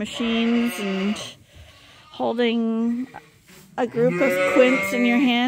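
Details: Bottle-fed lambs at Ewetopia Farms, trained to drink from a bottle in a holder, give three bursts of bleating. The cries are short and wavering, separated by quiet gaps, with the last burst crowded by several voices.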